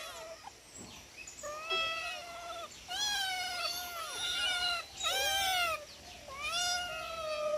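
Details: Domestic cats vocalizing at feeding time: long, level, tonal meows and a few bent, sliding ones from several cats, spaced about a second apart, with faint handling noise early.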